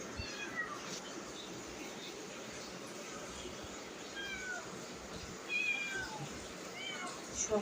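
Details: Pet cats wait impatiently for their meal to cool. Thin meows come in scattered, irregular bursts, some bending downward, with a human voice talking quietly and small household knocks.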